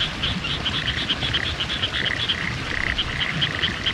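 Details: Chorus of frogs in rural Hitachiota, Ibaraki, Japan, recorded 6 May 2021 during a spring drive among new greenery; rapid bright pulsed notes overlapping with lower rattling croaks, dense and continuous, faint low background hum.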